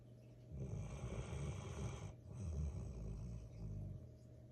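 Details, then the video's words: Golden retriever puppy named Troy asleep and snoring: two long, deep rumbling snores of about one and a half seconds each with a brief pause between, over a steady low electrical hum. "sleeping/snoring golden retriever"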